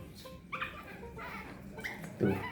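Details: A thirsty baby monkey gives thin, rising whimpers, impatiently begging for water, likened to a small child crying; it quiets once offered a drink, with a person talking nearby.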